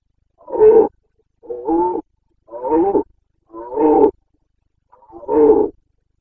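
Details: Carpathian red deer stag bellowing in the autumn rut, Bucovina, September 2022: five short, gruff, throaty roars spaced roughly one second apart, each rasping with layered harmonics against a quiet background.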